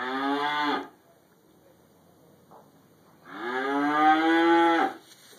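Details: Cow munching hay inside a barn among other cows, filmed on a mobile phone: a moo cut off at the start, a quiet gap with faint rustling, then a loud drawn-out moo of about one and a half seconds.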